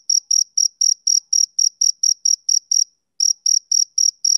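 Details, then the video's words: Male cricket on a summer evening giving bright, high chirps about four a second. The chirping stops for a brief silence near the three-second mark, then resumes at the same pace. "Cricket Chirping Sound Effect"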